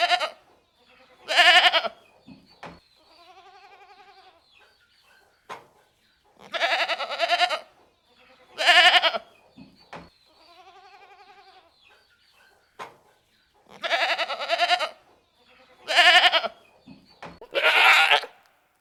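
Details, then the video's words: Goats calling repeatedly: loud, rough, quavering bleats every second or two, alternating with quieter, smoother wavering bleats, plus occasional clicks. "Goats Sound Effect"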